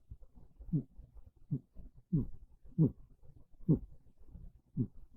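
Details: Monta the house cat snoring softly while asleep on a bed in the early afternoon of a cold, rainy day. Low, rasping breaths come in short bursts about once a second in a quiet room.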